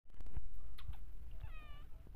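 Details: A mother cat with her kittens, left alone while she rests: one short, clear, tonal meow near the end, slightly falling, over a low rumble and a few soft thumps.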